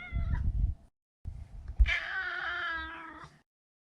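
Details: Neutered male Maine Coon, a house pet, heard over low rumbling handling noise, then a drawn-out, wavering meow of about a second and a half.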